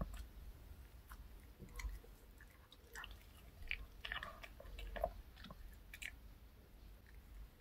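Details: Reka the dog munching a choco cupcake with milk, a K Pet Fair snack, in a small indoor room; wet chewing and biting, with sticky crunchy clicks clustering in the middle seconds, over faint hum.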